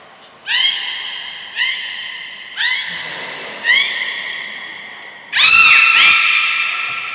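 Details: Beluga training with Gray, Nana and Mirai, Port of Nagoya Public Aquarium, 7 June 2022: four evenly spaced, rising, harmonic calls about one second apart, then a longer, louder, rougher call with a brief high whistle.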